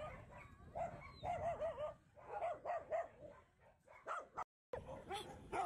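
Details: Alaskan Malamute singing to welcome a visitor at a stray dog rescue station in Harbin, China, home to over 3000 dogs; a series of arching, whiny howls rising and falling in short bursts, with a few barks in the background.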